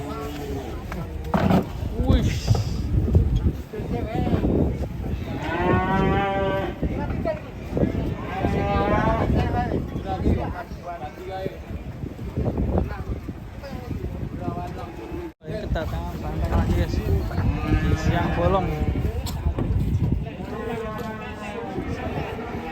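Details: Cattle during a failed attempt to load them onto a truck. Deep, drawn-out bellowing moos rise and waver over a noisy background, with a long run near the middle and another toward the end, mixed with music and brief voices.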